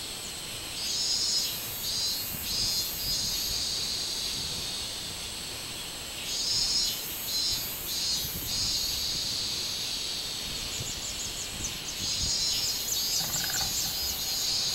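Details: Robust cicada (minminzemi) recorded on 24 July 2016: a high, shrill buzzing that swells into pulsed bursts around one to three seconds and again near seven to nine seconds, over a steady background insect drone.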